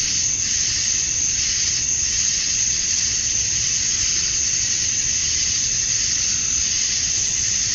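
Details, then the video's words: At dusk on a Georgia summer night, male cicadas sing to draw females, making a piercing continuous buzz with a few soft swells in loudness early on and a constant wall of sound after. "Cicadas at Dusk, Summer Night"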